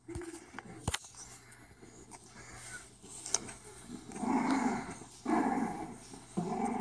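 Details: Four-week-old female English Bulldog puppy at play with its mother; after a quiet start with a few clicks, three bursts of low growling arrive near the end, each about a second long.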